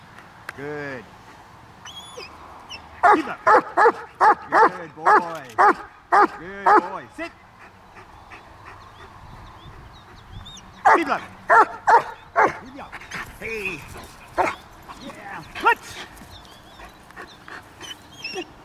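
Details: Trained German Shepherds of Kraftwerk K9 barking on and off on command: a spoken cue first, then a rapid run of loud, sharp barks for about four seconds, a pause, and a second burst of barks, with a few voices around.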